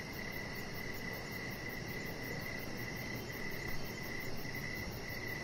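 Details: Crickets in the evening outside, a string of about ten sharp, repeated chirps at a steady pace, accompanied by a fast high-pitched pulsing trill and a low continuous rumble with a brief soft bump.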